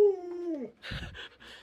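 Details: Luoluo, a pet Alaskan Malamute indoors, whines while clinging to a leg and begging for watermelon; one smooth harmonic tone that slides slowly downward, followed by a short burst of rustling, broadband noise.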